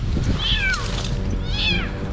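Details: A female cat stuck for two days far out on a fragile limb high in a dense tree gives two high, plaintive, downward-sliding distress meows over a low rumbling background.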